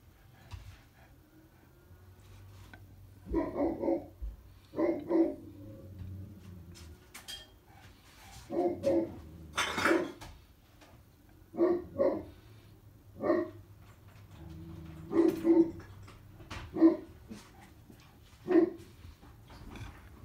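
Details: Great Pyrenees dogs, two large white males named Blanche and Lee, guarding from the upstairs west and east bay windows of a house; deep barks in short bursts, irregular through the recording, sometimes two at once, indoors.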